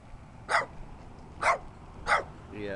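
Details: Little dirty dog barking three times, short sharp barks spaced about half a second to a second apart, followed by a person starting to speak.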